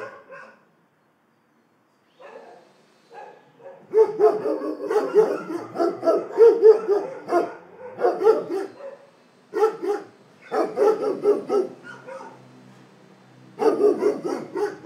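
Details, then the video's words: Dogs bark in long volleys after a quiet start, with dense overlapping harsh barks, a pause near the middle and renewed barking toward the end. "Szczekanie psów"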